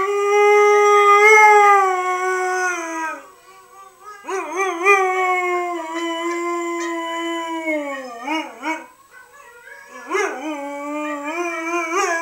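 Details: A three-year-old female Siberian Husky howls in reply, giving long, steady howls that waver and break into yips at the ends.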